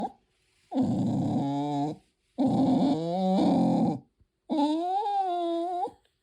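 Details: A pet Tibetan terrier indoors makes strange, drawn-out vocal noises: three long groaning, whining moans, each over a second long, the last wavering up and down in pitch, separated by short pauses.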